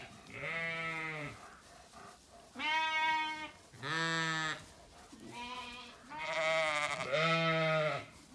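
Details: Zwartbles ewes on a farm in County Kilkenny, Ireland, calling at feeding time on a sunny day in an orchard: loud, harmonic-rich bleats, each about a second long, several overlapping voices in turn.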